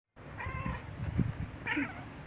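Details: Black domestic cat chittering at its owner indoors: short, breathy, clipped chirps and stuttering bursts over about two seconds, with a brief higher squeak near the end; a person speaks softly to it afterwards.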